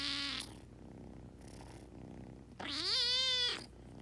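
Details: Kitten meows, a short high cry at the start and then a longer bright mew that rises, holds level and falls, with a faint call between them.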